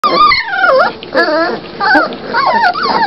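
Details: Doberman Pinscher puppies whining in high, wavering whistled cries that rise and fall, several overlapping pups calling in bursts roughly every half second to second.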